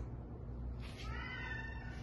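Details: Shy female Domestic Shorthair cat up for adoption at a shelter, surrendered together with her sister, gives a single drawn-out meow with steady, even harmonics over a constant low electrical hum.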